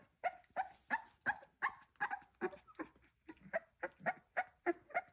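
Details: Staffordshire Bull Terrier puppy gives a rapid run of short, yappy barks, grunts and squeaky noises.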